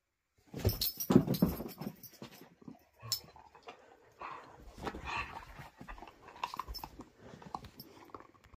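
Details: A domestic whippet being wrangled, giving low grumbling growls and breathy whimpering noises in uneven bursts, mixed with snorts and rustling movement in a small room.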